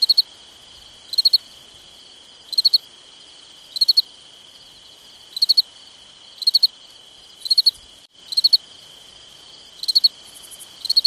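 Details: Summertime night crickets: repeated trilled chirps, each a quick cluster of three or four pulses, spaced about a second apart, layered on a constant high-pitched insect hum, with a fainter buzzy trill near the end.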